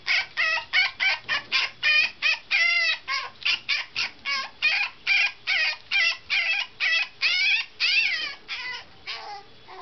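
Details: A spirited teacup poodle puppy, on its ninth day in a new home, cries to be let out: about two dozen high, harmonic yelps and whines in a rapid steady run over ten seconds, with no other sounds.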